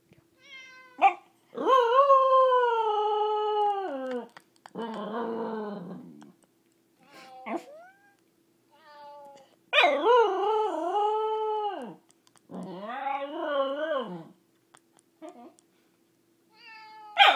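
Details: At 1:30 in the morning, a corgi howls in response to a cat piano app on an iPhone, in long, drawn-out, wavering tones that slide downward at the end.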